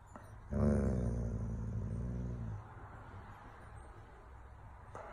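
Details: Annoyed Doberman that wants to play outside gives a single low, rumbling groan lasting about two seconds, then falls quiet against faint room noise.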